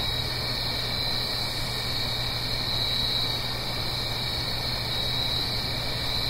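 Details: Autumn-night cricket chorus recorded in the Blue Ridge Mountains above a small stream. Continuous shrill trilling holds steady throughout, layered over broadband watery rushing and a low steady drone.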